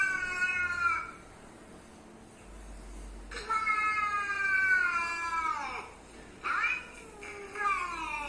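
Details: A pet cat reacting to other cats' sounds, with long drawn-out wailing meows that slide downward, a shorter rising meow near the end, and a low background hum.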